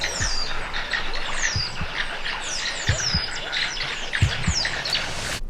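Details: In Kruger National Park by day, a group of mongooses being hunted by a Martial Eagle perched in a tree gives high, sharp, overlapping chirps and twitters, with low thumps and wind rumble beneath.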